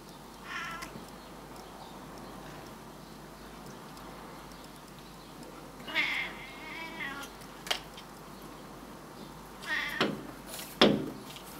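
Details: Male Burmese cat swearing at birds: scattered short wavering meows, a brief one early, then louder warbling cries around the middle and near the end, with a few sharp knocks between them.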